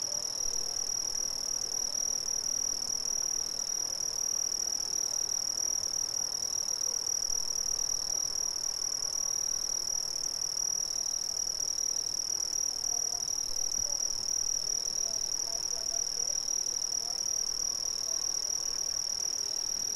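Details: Steady high-pitched ringing from many Brazilian crickets, a continuous bright trill band with a weaker higher band above, uniform in loudness over twenty seconds; faint scattered softer chirps lower down.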